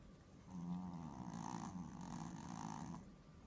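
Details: Small dog sleeping and snoring: one drawn-out, low, rasping breath lasting about two and a half seconds, soft and buzzy, over a quiet room hiss.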